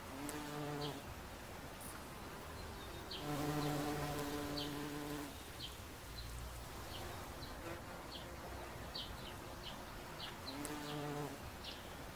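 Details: Low droning hum of a bumblebee at a daisy, coming in several bursts of one to two seconds, while small birds chirp and twitter in the background.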